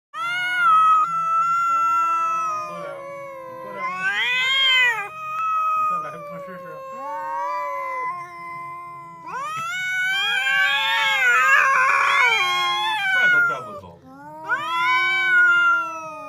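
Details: Two cats quarrelling, the kind that fight whenever they meet: long drawn-out wavering yowls that rise and fall, with two harsh hissing, spitting bursts mid-fight, and a short spoken remark at the end.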